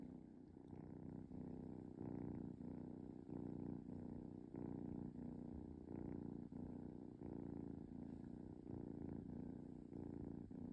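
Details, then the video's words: Kitten purring while relaxing, a soft low rumbling drone broken into regular breathing cycles of about half a second, steady and even with a quiet background. "Cute Kitten Purring"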